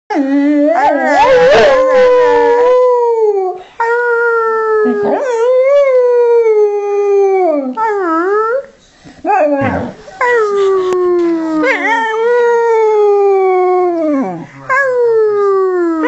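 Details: Young female springer spaniel singing at home: long wavering howls that slide up and down, with a brief noisy burst near the start and short pauses between phrases.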